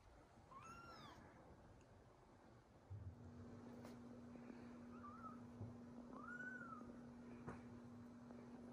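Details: Newborn kittens with their big brother and sisters give three thin arched mews, one early and two later, over a steady low hum with faint clicks.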